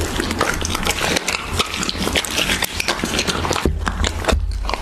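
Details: Raw beef being eaten by a Siberian Husky, heard as close-up biting, tearing and wet chewing clicks that come thick and fast, with short quieter gaps toward the end and a faint low hum.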